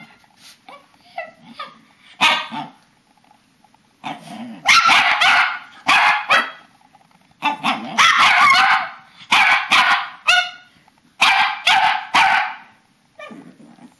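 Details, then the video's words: Bedtime ritual of papillons and a shih-tzu, March 2007: repeated sharp barks and yips in irregular bursts, some drawn into brief wavering whines, several dogs calling together. "Talking dogs!"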